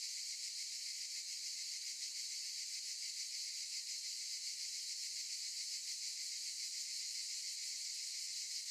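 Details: Chorus of cicadas among olive trees, a continuous high sizzling drone with slight rhythmic throb, constant loudness, nothing else clearly heard.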